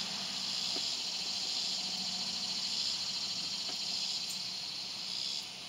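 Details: Neotibicen tibicen, the swamp cicada, sustaining a hissing, finely pulsed high-pitched buzz, with a low hum running beneath and the sound dropping away at the very end.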